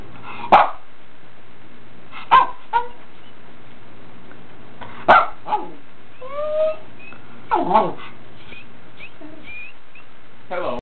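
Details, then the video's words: Pomeranian 'talking' with sharp, isolated bark-like yelps and rising, moaning vocal sweeps spaced a second or two apart, a faint high whistle-like tone heard between them, against a low background hum. "Talking Pomeranian"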